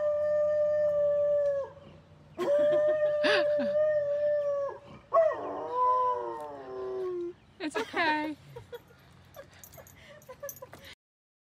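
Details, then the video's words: Dog howling in steady drawn-out tones, then a wavering, falling howl and brief whimpering yelps before going quiet, with scattered clicks. "Dog howling"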